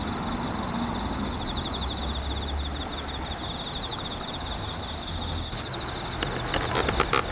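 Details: Insects give a steady, high, finely pulsed trill on a cool early-autumn morning, 4 September 2017, over a low rumble of passing traffic.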